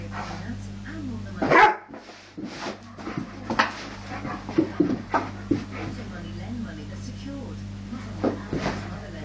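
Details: Rhodesian Ridgeback indoors, excited by a new squeaky toy, giving short scattered barks and yelps over a steady hum. A person tells the dog to get down and stop barking.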